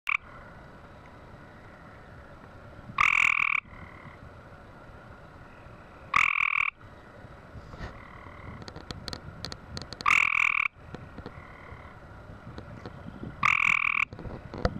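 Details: A male gray tree frog calling in Southern Illinois: loud, harsh trilled bursts about half a second long, repeated roughly every three to four seconds, four calls in all, with quiet background between them.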